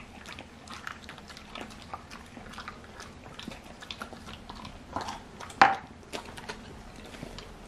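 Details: Twin Golden Retriever and English Cocker Spaniel cross sisters gnawing excitedly on extra-large sea bream skin jerky in a small room; soft scattered crunches, then a loud sudden snap with a brief squeak partway through.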